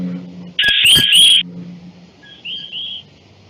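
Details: Coquí frog calls played as reference examples in a study on automatic acoustic identification of four frog species: loud, high chirping notes followed by short, clear whistled calls.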